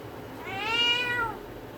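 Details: Single drawn-out meow from a village cat, swelling and falling in pitch over about one second, against a quiet low hum.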